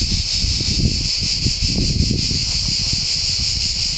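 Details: Cicadas singing in a pine forest at San Sostene, Calabria, Italy: steady high buzzing drone throughout, partly covered by louder low rustling and handling noise.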